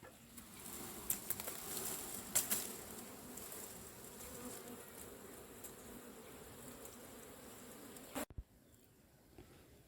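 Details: Asian honey bees from a cavity nest during a hive harvest: a steady low droning hum with a clear band and overtone, broken by sharp clicks and knocks, then cut short near the end by an abrupt drop in sound.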